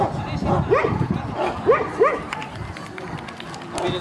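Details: Central Asian Shepherd Dog at a club show of the breed, Kyiv (Krasylivka), 28 September 2019. Three sharp, deep barks come in the first two seconds, then only chatter and crowd noise from the showground.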